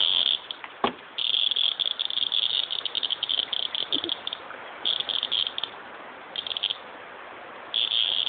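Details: A cicada buzzing with dogs nearby: a high, dry, rasping drone broken into bursts, steady at first, then stop-start with short gaps, and a sharp click early on.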